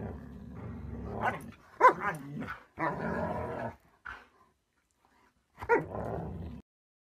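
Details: Dog growling and grumbling in several low, rough bursts with brief yips on top, separated by short pauses, indoors.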